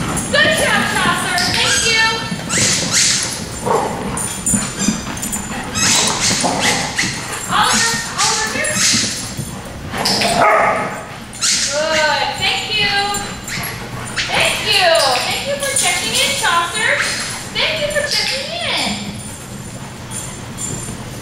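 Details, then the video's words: Group of dogs at a daycare barking repeatedly, with nuisance, alert and demand barking, short sharp barks and some higher yips overlapping, with people talking and calling out in the background throughout. "Barking at Tails-A-Wagging"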